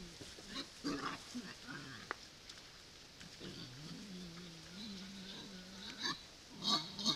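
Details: Wild boars at a feeder, recorded by a camera trap, making low grunts and a drawn-out wavering squeal, with a few sharp clicks.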